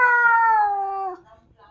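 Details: Domestic cat, a British Shorthair or Bengal, during the introduction of a new British Shorthair to the household: one loud, drawn-out harmonic meow of just over a second, steady at first and then sliding down in pitch, followed by quiet room sound.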